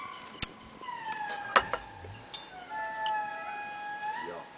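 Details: Indri (Indri indri) song at Andasibe in the early morning, heard at breakfast: indris calling to each other in overlapping, drawn-out wailing tones that hold steady and slide downward, then stop abruptly.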